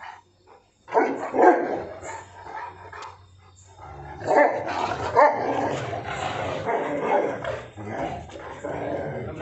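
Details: An angry Rottweiler, jealous of someone else being petted, gives rough, rumbling growls broken by sharper barking outbursts.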